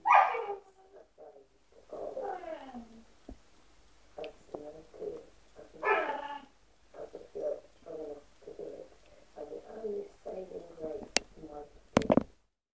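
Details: Timid American Bulldog puppy whining and grumbling in a long series of wavering, moaning vocalisations with a couple of louder yelps, ending with a sharp knock.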